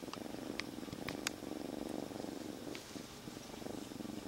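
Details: Former stray kitten, rescued three days before, purring loudly while tucked in a jacket; dense throbbing purr swelling and fading with breathing, a few faint clicks and cloth rustles early on.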